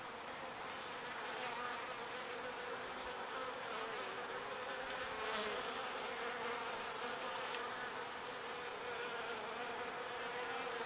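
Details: Small bees working pollen and ferrying it to the hive; an unbroken, low humming drone swells slightly midway, over a steady noisy background.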